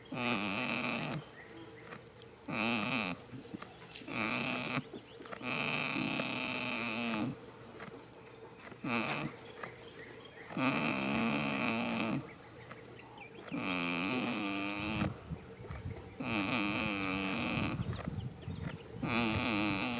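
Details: In a field on the first day of spring, a goat snores in its sleep. Rhythmic, buzzy, moaning breaths of one to two seconds recur every two to three seconds, separated by quieter inhalations.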